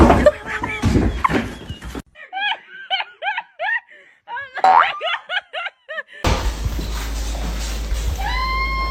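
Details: Kitten meowing in a run of short, arched, high mews repeated rapidly in the middle of the recording, with people talking indoors before them and a burst of noise and clatter after.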